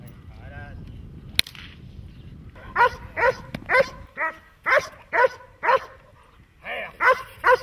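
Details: Dog in protection training, German Shepherd or Malinois, barking in a steady series of sharp, harmonic barks roughly twice a second after a sharp crack and some brief speech.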